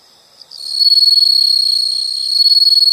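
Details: After a quiet start and a single chirp, a piercing, continuous insect trill sets in. It holds a high, even pitch with a fast, buzzy flutter.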